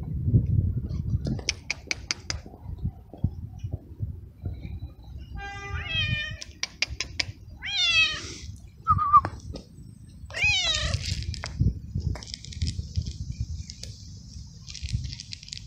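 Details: Stray little kittens, two brothers, black and gray, outside in strong cold wind before feeding: after quiet gusty stretches, a run of short, steeply rising and falling mews clusters midway, some chirpy and bent, over steady low wind rumble and faint hiss.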